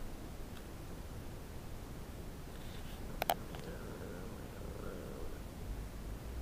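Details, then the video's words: A Shiba Inu gives a low, steady rumbling growl while eating a piece of pork bone, guarding it from sharing, with a couple of sharp clicks. "Shiba Inu Cooper Growls "I am not sharing!" 9-7-10"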